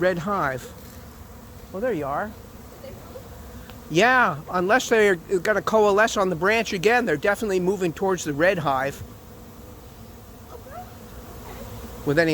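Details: Swarming honey bees arriving late in the season at an empty, unprepared hive; almost continuous close fly-bys, each buzz rising and falling in pitch, thickest through the middle seconds before easing to a quieter hum.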